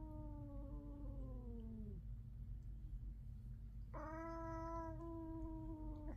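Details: Two cats from a five-cat household fighting: one cat's long, drawn-out yowl slides downward, then a louder, harsher wail answers and holds steady.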